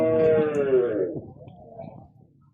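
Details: Cattle at the Chowkuri cattle market, Dhalua Union, Nangalkot, Comilla: one loud, low, drawn-out moo lasting about a second, rich in harmonics and sliding slightly downward, then fading into murmuring voices and market bustle.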